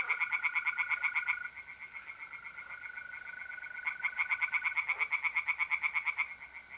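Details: Mid-April night at a pond in North-East Italy: tree frogs give rapid pulsed croaking in two bouts separated by a quieter gap, while mole crickets keep up a continuous high-pitched trill.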